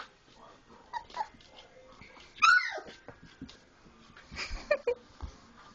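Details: Four-week-old Labrador Retriever puppies at play after feeding; faint whimpers, then one sharp high yelp sliding downward, and a few short squeaks amid rustling and scuffling.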